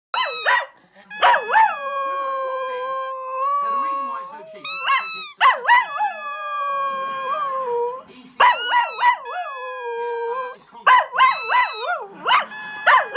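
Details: Pet dog in the United Kingdom howls along with a squeaky toy: long wavering, warbling howls sliding up and down, broken by short gaps and bursts of high, thin, steady toy squeaks, repeated several times over the recording.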